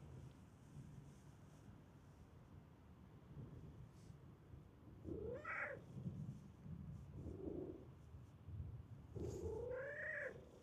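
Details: Park stray cat running toward a familiar person, giving two drawn-out meows that rise then fall, about four seconds apart, with a faint chirp between them and low outdoor rumble underneath.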